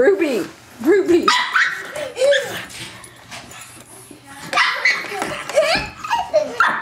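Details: Ruby, a pet pug, barking while battling the vacuum cleaner, her nemesis; short yappy barks and growly yips come in bursts, mixed with people talking and laughing nearby.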